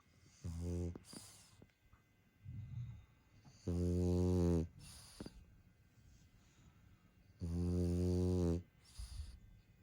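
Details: French bulldog snoring: loud, low, buzzy rattling snores about a second long, recurring every three to four seconds, with softer breathy exhales between them in a quiet room.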